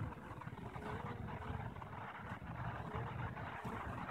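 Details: Honey bees in their own hive, recorded 21 April 2015, the day after eggs for three queens were placed; the hive was left unopened. A dense, steady low hum fills the clip, with a faint thin tone running through it.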